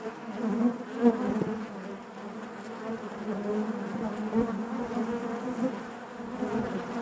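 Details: A steady hive drone from a colony of honey bees, the humming wavering slightly in loudness, with a couple of sharper peaks as bees pass near.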